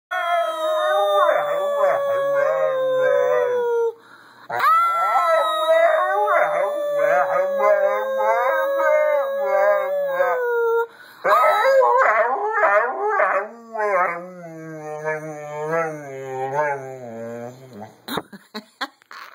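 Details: Siberian husky (Canis lupus familiaris), howl.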